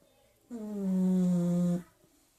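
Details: A sleeping Pug snoring indoors: one drawn-out, humming snore lasting over a second, holding a steady low pitch with rich overtones, then stopping abruptly into a quiet room.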